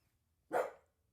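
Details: A pet dog barks once in the background indoors while its owner records: a single short, fairly faint bark in a quiet room.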